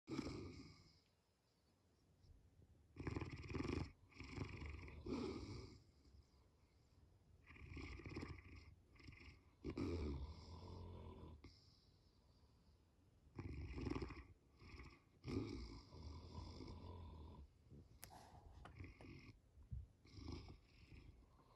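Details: Two of three sleeping Saint Bernards snoring indoors at home during a workday: deep, rumbling, rasping breaths in uneven bursts a second or two long, separated by quieter gaps, with heavy low-pitched rumble.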